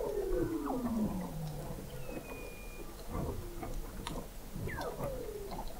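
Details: Weddell seal vocalizations beneath Antarctic sea ice at McMurdo Sound, November 2017, from a seafloor observatory 21 m down: a steady descending whistle opens, followed by short downward chirps, a thin high tone and repeated clicks.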